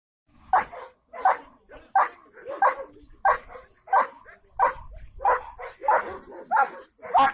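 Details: German Shepherd dog barking in a steady series, sharp loud barks about every two-thirds of a second, ten in total, some followed by short softer tails, little else audible.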